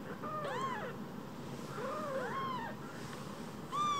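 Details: Rescued newborn kittens, a pair small as a phone, overlap in thin wavering meows, two voices calling at once, then a sharper high mew closes.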